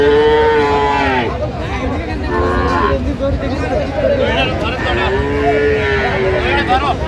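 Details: At the Aftabganj livestock market, Dinajpur, Bangladesh, in January 2026, cattle low repeatedly: a long moo at the start, a shorter one near three seconds and another drawn-out call later, amid busy crowd voices.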